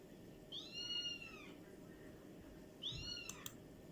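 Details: Domestic cats making strange sounds: two high, arched meows about two seconds apart, each a short bright whine that rises and falls, with a brief click after the second and a low room hum beneath.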